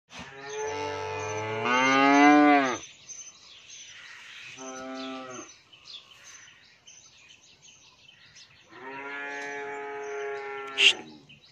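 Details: An 11-month-old Australian bull calf on a dairy farm in Pabna, Bangladesh, gives three harmonic moos: a long, loud bellow, a shorter softer one, then a third drawn-out moo, with quiet gaps between.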